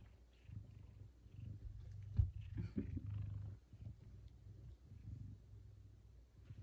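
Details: A big male F2 Savannah cat purring indoors one morning while being given chicken leftovers from the night before. Soft, low, rumbling pulses run steadily throughout, with a brief louder rustle near the middle and faint household noise.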